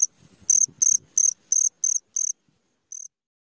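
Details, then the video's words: Midnight cricket giving a short run of six high, shrill chirps at a steady pace, then a gap and one last chirp, with faint low rustling at the very start. "SUARA JANGKRIK TENGAH MALAM"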